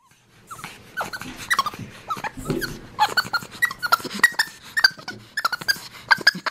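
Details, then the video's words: Capuchin monkey named MonkeyBoo, a pet, communicating with his owner indoors; rapid chattering squeaks and short chirps repeated about every half second with rising bursts, mixed with a few low human sounds. "Capuchin Monkey Talking Compilation!"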